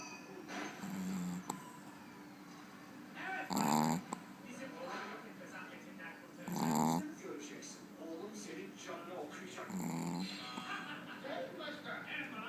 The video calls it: snoring dog - pekingese